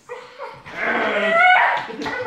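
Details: Bull terrier making a weird noise: a drawn-out, wavering whine that swells into a louder, strained moan with rising and falling pitch.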